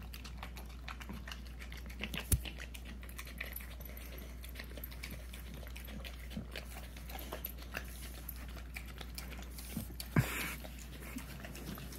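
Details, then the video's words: Hunter, a puppy of almost a year, keeps licking peanut butter indoors: gentle repeated smacks and tongue clicks, broken by a few sharper knocks around the second and tenth seconds. "puppy eating peanut butter"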